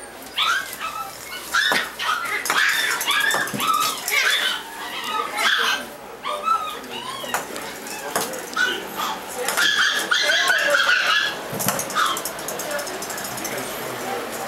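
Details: Doberman Pinscher puppies, for sale in California: a busy chorus of high-pitched yips, whines and short barks, about one a second and irregular, mixed with people talking and handling noises.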